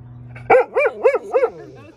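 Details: A Golden Retriever on a deck spots an airplane in the sky and gives four quick, tonal barks, each rising and falling, in a steady series.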